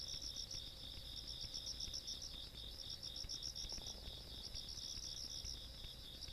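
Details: Countryside insects at night, 17 August 2022, keep up a steady, piercing trill of fast repeated pulses, roughly four each second, layered in two high tones, with soft low background noise beneath.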